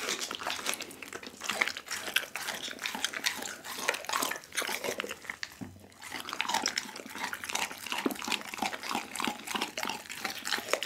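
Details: Pit bull named Dougie devouring a whole raw chicken on Christmas-night ASMR footage from an Insta360 ONE R: long run of wet, crackly chewing and bone crunches, briefly pausing near six seconds before resuming steadily.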